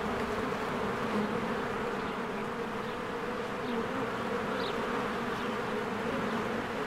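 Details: Honeybee swarm flying around its hive in spring, steady dense buzzing with slight rises and falls in loudness, a short bird chirp near the end over the drone.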